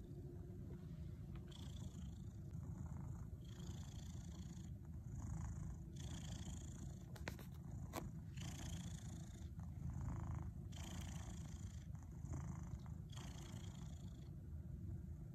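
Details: A house cat named Louie purrs while kneading (making biscuits) inside his teepee: continuous deep, low rumble, broken by brief bursts of soft scratchy rustling about every second or two as his paws work the fabric.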